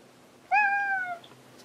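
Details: Cat named Hanu searching for another cat, Monaka, indoors: a single drawn-out meow, steady and slightly falling, lasting about two thirds of a second in a quiet room.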